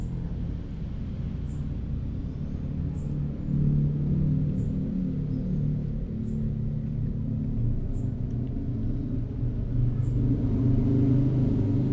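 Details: Steady low rumble, like an engine or room hum, with faint evenly spaced high ticks about every one and a half seconds and no animal call.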